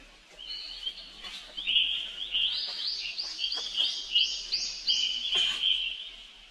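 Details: Young monkey, the little brother of a monkey named Rainbow, calling for help as she runs off; high, thin squealing cries held in long wavering tones, repeated almost without pause, with faint background rustling.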